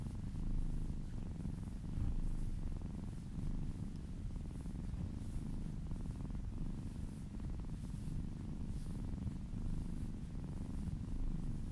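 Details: Contented kitten purring steadily during a gentle massage, licking down an arm: low, even rumbling purr with slight periodic swells in loudness, no other sounds apparent.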